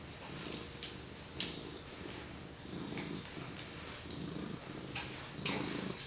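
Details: A domestic cat purring steadily while being petted by a four-month-old baby indoors; a low, rumbling purr in rolling pulses, with soft rustling and brushing clicks from the stroking hand.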